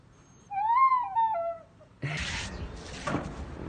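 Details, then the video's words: Lua, an eight-week-old female German Shepherd puppy, reacting to a flute at home: one drawn-out tonal howl that rises, then slides down over about a second, followed by rustling and handling noise. "DOG REACTING TO FLUTE - GERMAN SHEPHERD PUPPY DOG FLUTE MEME"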